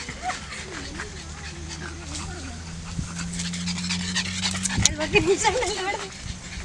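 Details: A six-month-old pug on her first outing in a park, making short high whimpering and whining sounds with panting, loudest near the end, mixed with people talking nearby and low background hum.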